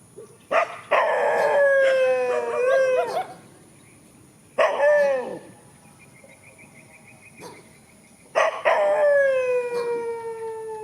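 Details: Dogs squaring off in a countryside field, producing three long howls spaced about four seconds apart, each bright and harmonic, holding steady then sagging slightly in pitch, with a faint high whine between them.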